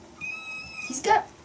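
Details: Bengal kittens, the litter of Aurora and Coco, romping together indoors during teaser play: a thin, steady, tonal mew lasting under a second, followed by a short noisy scuffling burst, with a person talking nearby.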